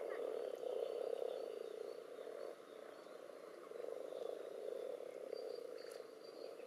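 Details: Common toads crowded together with various frog species in a spawning pond, where spawn clumps and strings are visible, in an above- and underwater trial recording. A dense, steady low croaking chorus swells and fades, with faint higher calls and some background noise.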